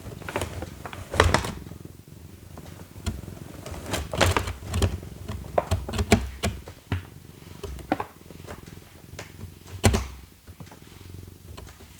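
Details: Indoor knocks, taps and cardboard rustling sound over a low, steady room hum. No clear animal voice stands out.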